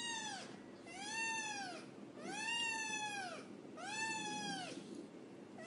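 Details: Black kitten, described as cute and playful, giving three drawn-out arched meows about two seconds apart, each rising then falling, rich in harmonics, with soft room hum beneath.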